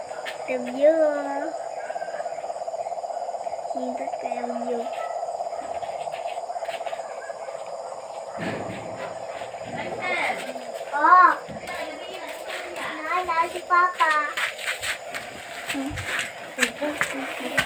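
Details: Frogs calling at night near a house: short, low nasal croaks near 1 and 4 seconds, then a denser run of croaks from 11 to 15 seconds, all over a steady droning chorus of insects or frogs.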